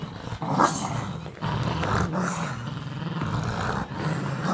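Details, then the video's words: A Boston Terrier and Whippet mix tugging in play, holding one long, continuous low growl with rough texture and a few brief scuffing noises. "Boston Terrier and Whippet mix playing tug-of-war."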